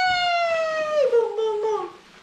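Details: A pet Basenji, one of two dogs, indoors at Christmas while playing tug of war with a new toy pig. A long, drawn-out, harmonic whine slides slowly downward for about two seconds and fades at the end.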